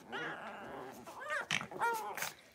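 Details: Blenheim Cavalier King Charles Spaniel puppies, part of a litter of five born at New Year's, moving into a bigger indoor pen; high harmonic whines rise and fall, then two short sharp yelps follow near the end.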